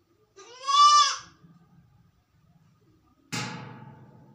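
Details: Lone sick goat indoors gives a loud, quavering, harmonic bleat of roughly three-quarters of a second near the start, followed by faint low noise and then a sudden broadband thump or rustle that slowly fades.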